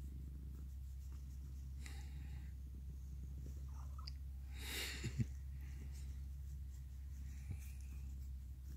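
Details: Purring from Mikan, a male orange tabby who was once a stray and now hugs and licks people; low even rumble persists, broken by brief rustling and a soft breathy noise near the middle.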